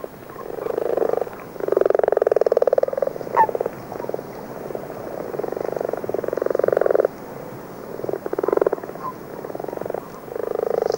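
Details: Common frogs giving dull snoring calls in February, the first songs of the year, alongside a few common toads; long rattling purrs of up to three seconds, pulsed and low, with short gaps.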